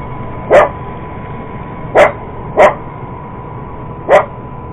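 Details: Four loud, separate barks from a purebred Cocker Spaniel, spaced one to one and a half seconds apart, as the dog goes after an iRobot Roomba robot vacuum, with a constant low machine hum underneath.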